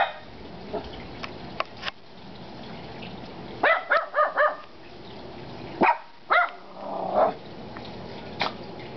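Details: Barking from the dogs Kona, Koko and Konnor: a rapid burst of three harsh barks, then a pause and two more barks with a trailing, softer bark, over faint ticking and background hiss.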